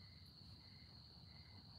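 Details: Crickets at night in a garden during hand pollination of dragon fruit flowers; a steady, unbroken high trill with a fainter lower tone coming and going, over a soft low rumble.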